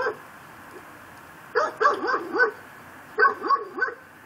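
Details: Pit bull tied to a post in a Chalmette, Louisiana yard, barking day and night, recorded at midnight on December 24, 2012: two bursts of four sharp, harsh barks in quick succession, separated by a quiet pause.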